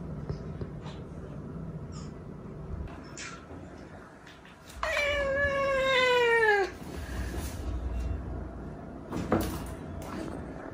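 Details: Rescued weak kitten, one of a small pair found leaning on each other: one long, loud, harmonic-rich meow lasting about two seconds and falling slightly in pitch, then a faint short call, with low rumbling noise throughout.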